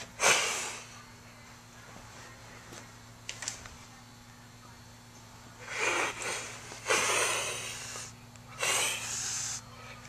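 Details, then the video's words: Orphaned kittens without a mother, indoors, being taught defence reactions and trying to act tough: a sharp breathy hiss at the start, then a run of three harsh hissing bursts close together near the end, over a steady low hum. "Hissing Kittens"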